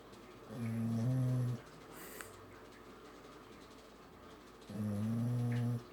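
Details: Sleeping dog snoring: two long, low, rumbling snores, each about a second, roughly four seconds apart, with quiet breathing between them.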